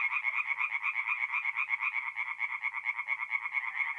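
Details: Tree frogs singing in the dark at a forest pond in North-East Italy in mid-April, quick nasal croaks in a clear rhythmic pulse, several per second, rising and falling in volume.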